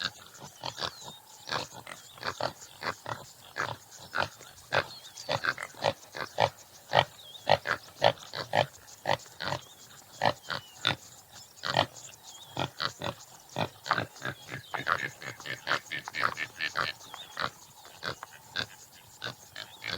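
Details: Topi (Damaliscus lunatus jimela) producing rapid, uneven rasping grunts, nearly two per second, across the whole stretch while small birds twitter faintly behind.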